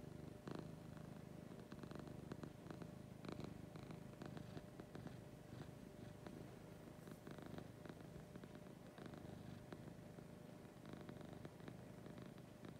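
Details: Lucy the cat purring in the morning, deep and even, a steady vibrating drone rising and falling with her breathing throughout, light scratchy contact noises now and then.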